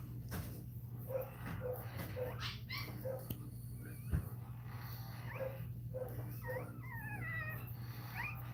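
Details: A Cane Corso crying during another dog's labour: soft short squeaks repeated about every half second, then a run of high, wavering whines near the end, all over a steady low electrical hum.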